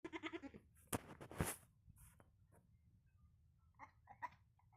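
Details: Goat (kid) (Capra hircus), bleat.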